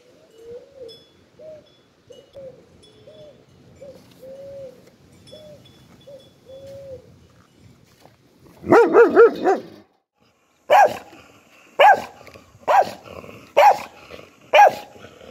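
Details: Soft, repeated cooing notes open the recording, then a dog breaks in with a short rough run of barks, followed by five evenly spaced loud single barks about one second apart.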